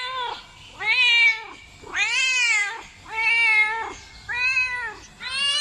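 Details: Domestic cat uttering five loud, arching meows in quick succession, each rising and dropping in pitch, bright and harmonic, with short quiet gaps between them.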